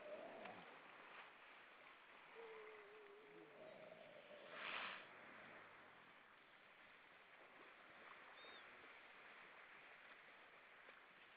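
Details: Evening song of a grey seal in the Estonian Baltic Sea: a low wavering moan, then a longer, slightly higher held tone, a loud noisy burst midway, and a brief faint whistle later, over constant hiss.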